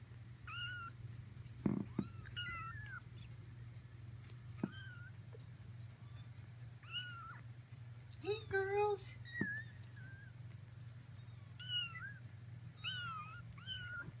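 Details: A litter of Persian kittens close to four weeks old mewing repeatedly in thin, high, slightly falling cries, several overlapping, amid a couple of sharp knocks, faint low voices and a steady background hum.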